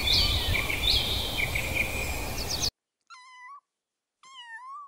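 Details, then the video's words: A domestic cat gives two clear, drawn-out meows, each about half a second, steady then rising at the end, after a noisy outdoor stretch with high bird chirps. "learn animal sounds-cat"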